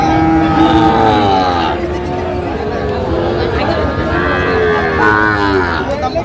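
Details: Sahiwal bull calves at Aftabganj cattle market, 16 August 2025, where Dhaka farmers are buying. Two drawn-out, harmonic-rich lowing calls, the first wavering then falling, the second rising late, over constant market chatter and bargaining voices.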